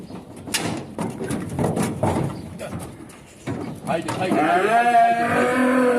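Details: Newly arrived calves for fattening on a farm in 2023, one calling with a drawn-out wavering bleat in the last two seconds, after a stretch of shuffling, clattering and people talking nearby.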